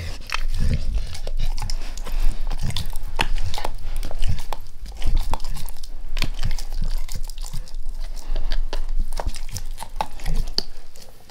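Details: Pet dog Max going all in on a beef rib: dense, continuous crunching and gnawing with heavy low thuds and close wet chewing, loud and steady throughout.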